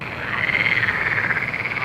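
A dense chorus of frogs gives steady, rapid, buzzy croaks that blend into one continuous trilling wash.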